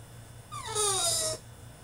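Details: French Bulldog throwing a tantrum in his cage: a single high whining cry that slides downward over about a second, with a steady low hum underneath.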